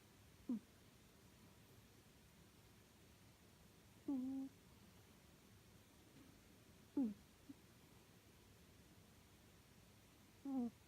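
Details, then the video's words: Sleeping cat Suu gives gentle voiced snores, short low hums with a slight downward slide, spaced about three seconds apart, in a still, quiet indoor setting. "いびきをかく猫のすぅちゃん sleeping cat suu"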